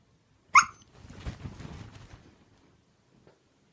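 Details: Siberian Husky asking for a walk gives one sharp, high yelp, followed by softer rustling and shuffling movement noises indoors, then near silence.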